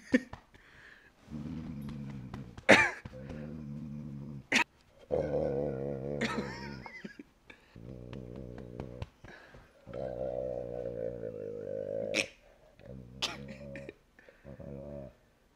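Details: A pet Rottweiler's purring indoors: repeated low rumbling bouts, some wavering and rising in pitch, broken by sharp clicks and knocks, with soft music and laughter nearby.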